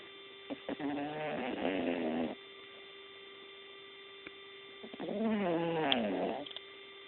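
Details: A sleeping cat snoring: two drawn-out, rough, buzzy breaths a few seconds apart, each with a wavering band of tones, over a steady electrical hum.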